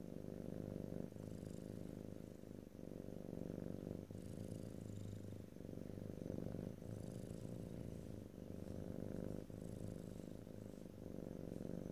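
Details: Purring domestic cat recorded ear to ear in stereo: a low buzzing rumble rising and easing in roughly two-second breath cycles, soft hiss on the in-breaths, no talking.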